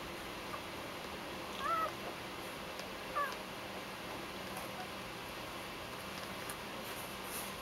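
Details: Newborn Husky–Collie mix puppies from Mika's first litter of six, two males and four females, born 14 January 2010; two short high squeaks about a second and a half apart, the first bending slightly, over steady background hiss.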